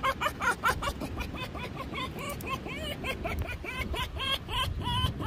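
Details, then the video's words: Fox named Finnegan giving its daily giggling 'hehehe' sounds: rapid series of short, bright, harmonic chirps, several per second, rising and falling slightly in pitch, over low background rumble. "Finnegan fox daily hehehe's"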